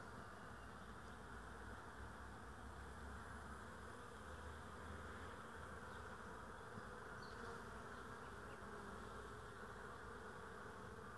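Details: Bees on 22 April 2016 in a steady, dense buzzing hum from many insects, low and even throughout with no pauses, a faint thin tone briefly above it.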